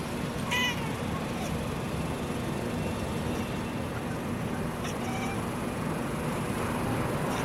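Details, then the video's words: A two-year-old female black and white domestic cat chirps at birds on a calm afternoon, giving a few brief, clipped chirps spaced irregularly over several seconds against a steady low background rumble. "Black and white cat calling birds - chirping sound"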